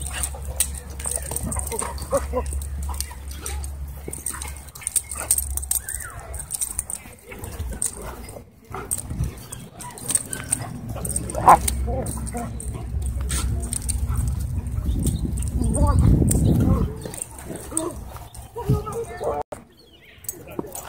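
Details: Dogs at a dog park, a wolf dog bullying a husky shepherd with pink eyebrows during rough play; low, rumbling growls and huffs continue through most of the stretch, with people talking over them.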